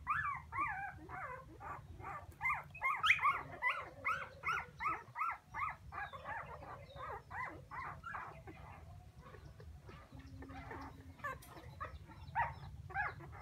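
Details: Puppies wailing for their mother, fast runs of sharp high yelps and whines in loud pulsing series, then quieter scattered whimpers, over a continuous low hum.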